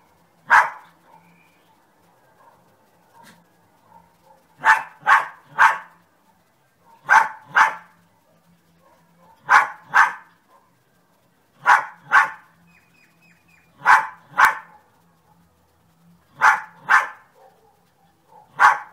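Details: Repeated barking from a dog, sharp broadband woofs grouped in twos and threes roughly every two to three seconds over a quiet background.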